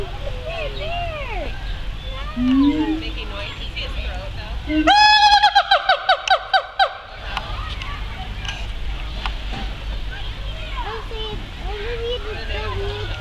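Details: Siamangs at the Phoenix Zoo chattering: a few sliding, whooping calls rise and fall, then a loud burst of about eight rapid, ringing harmonic barks, followed by softer calls, with people's voices in the background.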